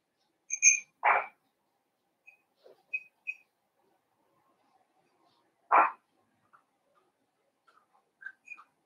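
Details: Young blenheim Cavalier King Charles Spaniel puppies in an indoor puppy pen: two sharp, brief barks about five seconds apart, mixed with small high squeaky tones and soft scattered clicks.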